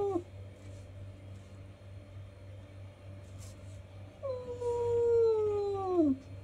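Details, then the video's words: A cat described as angry gives one long, drawn-out meow in the second half, starting higher and sliding slowly downward over about two seconds, after a brief cry at the start; a steady low hum runs underneath. "Cat Sound Angry Sound Meowing"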